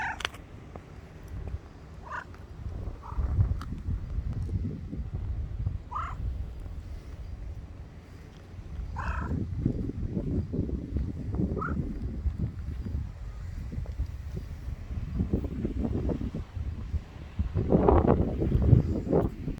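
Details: Grey cat with a low, rough rumbling purr throughout, broken by a few brief, faint meows scattered across the first twelve seconds and a louder rumbling burst near the end.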